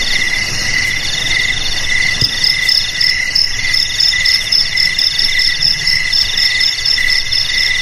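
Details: Crickets trilling in chorus: a constant lower ringing trill and a shrill high trill that begins pulsing rhythmically after a couple of seconds, with a single faint tap in the background.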